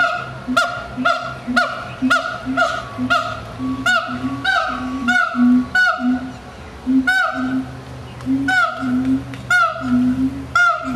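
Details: Siamang calling: a long series of loud calls, each a deep booming note paired with a sharp, honking bark that drops in pitch, repeated roughly every half second to second, with a steady low hum underneath.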